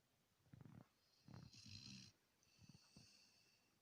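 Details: Sleeping Labrador Retriever giving short snorting, rasping snores and soft breaths, a longer rattling snore in the middle of this brief stretch.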